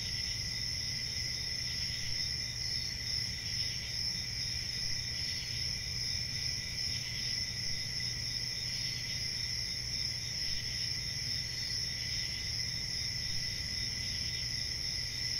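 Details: Continuous cricket chorus: shrill, even pulsing trills that hold at a constant high pitch for the whole stretch, backed by a faint low rumble.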